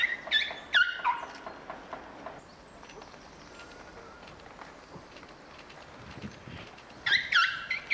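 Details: Elephant babies at Prague Zoo, two calves wrestling and slipping on snow, squeak in bright tonal bursts at the start and again at the close, separated by a quieter stretch of rustling outdoor noise.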